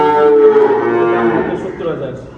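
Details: Loud, harmonic-rich moo from a dairy cow at a Bangladeshi farm near Dhaka that sells heifers and high-yield milking cows; the call starts strong and steady, then fades and drops in pitch over two seconds.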